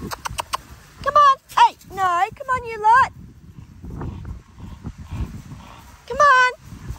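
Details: Australian cattle dog puppy named Linc at play with big puppies in a paddock; a run of high, wavering yelping barks, several in quick succession, then a pause and another yelp, with a person talking to the dogs.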